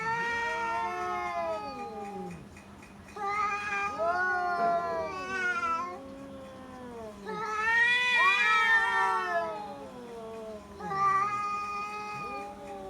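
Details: Two domestic cats in Bangladesh in a standoff with the neighbour's cat, making long wavering caterwauls and yowls that bend up and down in pitch, overlapping drawn-out howls rising to loud peaks, with a steady low hum throughout.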